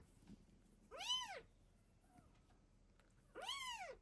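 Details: Mother cat protecting and feeding her kittens gives two clear arched meows, loud and harmonic-rich, about two and a half seconds apart, with a faint short squeak between them in a quiet room.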